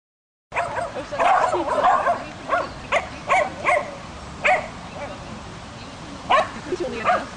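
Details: Female Swedish Vallhund barking during agility training, her sport of two months; a run of sharp, short barks about one or two per second, one longer whiny stretch near the start, with background music and voices.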